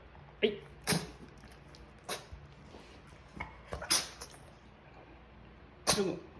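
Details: Pug sneezing hard indoors when told to wait for food. About five to six sharp, breathy bursts are spread over six seconds, separated by quiet room noise.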